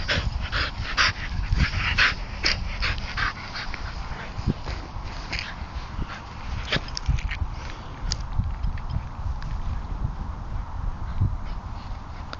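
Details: Two Bedlington Terriers playing about together, with short yips and whimpers scattered among scuffling, rustling and thumping noises of rough play, steady close handling noise throughout.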